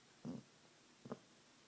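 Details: Pet dog named Trio asleep and dreaming indoors: two short muffled low huffs, the first broader and longer, the second a brief sharper whimper-like note, with a quiet room between.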